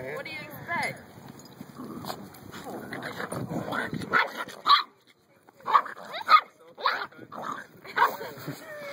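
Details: Puppies giving a run of short, sharp yips and small barks in quick bursts during the second half. Human speech dominates the first half.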